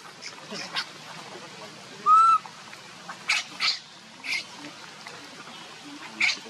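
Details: Baby monkey crying and begging its mother for milk: one loud, clear whistled cry at mid pitch with a slight rise and stacked harmonics, plus scattered short broadband clicks and rustles.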